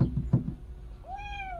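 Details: Orphaned kitten that lost its mother gives a single clear meow, rising then slowly falling in a smooth harmonic arc, after a few soft knocking sounds indoors.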